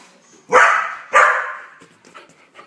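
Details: Australian Cattle Dog, a blue heeler, barking while watching TV: two sharp, loud barks about half a second apart, fading into faint background sounds from the television.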